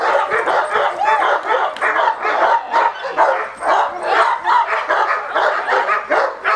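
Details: A male Cane Corso in attack training gives a run of harsh, full-bodied barks, roughly twice a second in an uneven rhythm, with a few thinner, higher yips among the heavier barks.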